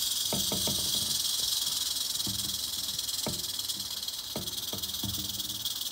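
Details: Albino male western diamondback rattlesnake giving a continuous high, hissing rattle buzz that stays steady for the whole stretch, with scattered low thumps and clicks in the background.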